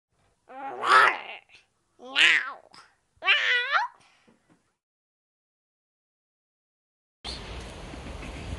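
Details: Stray cats living in a sea garden, cared for and fed; three wavering, harmonic meow-like calls come in quick succession over the first four seconds, followed by a silent pause and then a burst of steady broadband noise.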